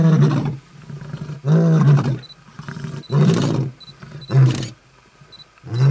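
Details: Roaring lions in South Africa's Kruger National Park, August 2012, marking territory: a rapid run of deep, throaty roars roughly every second, with faint high chirps between them.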